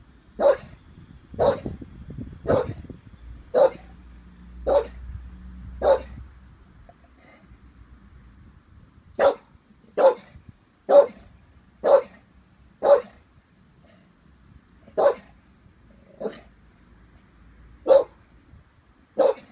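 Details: An 18-month-old Staffordshire Bull Terrier barking warily at a balloon; a series of short, single barks, irregularly spaced about once a second with a pause midway, plus a brief rustling thump early on.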